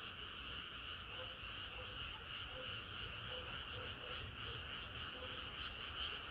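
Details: Hot summer night full of frogs singing together: an unbroken pulsing chorus of overlapping croaks, with softer low, clucking notes recurring beneath the higher trilling mass.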